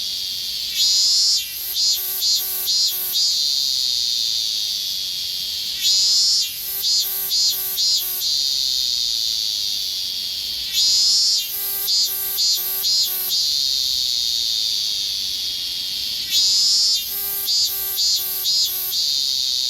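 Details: An evening cicada (higurashi) in summer in Japan repeats its ringing, pulsed 'kana-kana' song about every five seconds over a steady insect hiss.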